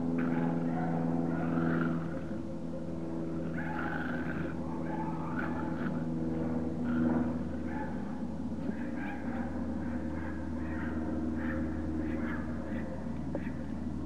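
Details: Young Parson Russell Terriers whine in scattered short, high, wavering cries, several close together, while a loud low engine-like drone runs throughout.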